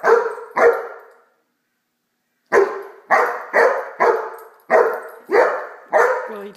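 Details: Blacky, a Great Dane puppy, barks while playing with a toy dog: two barks, a silent pause, then six evenly spaced loud barks about every half second.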